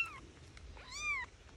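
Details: Bobcat kitten encountered while hiking with a dog: one short high mew then a longer arched, whiny cry that rises and falls, over quiet outdoor background.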